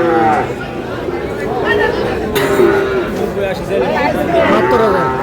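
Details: Sahiwal breed bull at a cattle market on 4 April 2026, giving a low, drawn-out moo that rises and falls beneath steady crowd chatter and men's voices haggling over prices.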